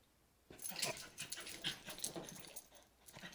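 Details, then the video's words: Australian Cattle Dog/Beagle mix named Stella after another bath; loud rapid breathy panting starts after a brief quiet, dense huffs with faint whimpery edges, close and indoors. "Stella After Another Bath (ACD/Beagle Mix)"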